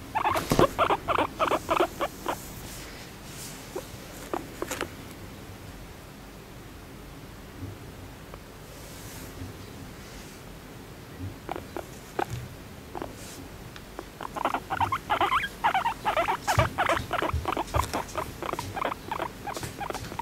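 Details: Moru-chan, a female pet guinea pig aged one and a half, kept in an apartment, makes her happy "honyo honyo" sound while being gently stroked: rapid bursts of soft pulsed chattering, a quieter stretch, then a longer run of quick chirring pulses.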